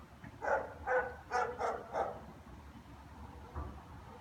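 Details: German Shepherds greeting their owner home from work with a quick run of five harsh barks, roughly one every half second, then a single softer bark after a pause, with low rumbling noise beneath.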